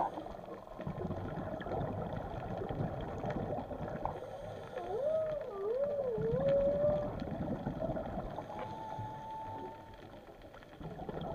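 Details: Whale sounds heard undersea: a clear wavy call that swoops up and down several times over two seconds, later a long flat whistled tone, beneath steady gurgling water noise.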